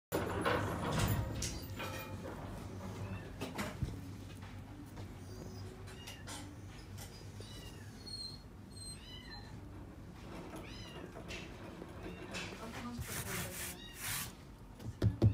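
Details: Male seal point Himalayan cat at a pet shop, born 31 August 2018, giving a few soft, short arching meows midway through, set against steady low hum, rustling and handling clatter.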